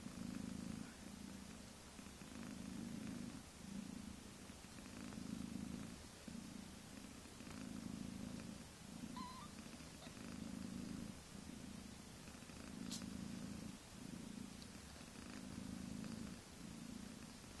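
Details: Mother cat with kittens a few weeks old purring up a storm: a low, steady rumbling purr that swells and fades in regular breaths about every two to two and a half seconds.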